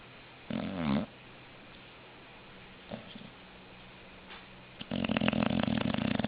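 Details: Snoring English Bulldog in a small room, one short wavering snore early, faint sniffs, then a harsher rattling snore building at the end.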